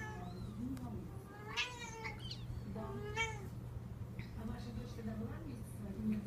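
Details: Six-week-old Devon Rex kittens give thin, high meows over a steady low hum and quiet voices.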